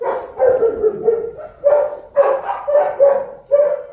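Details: German Shepherd dog giving a series of short barks and yelps, about eight bursts over four seconds, with Filipino speech in the background.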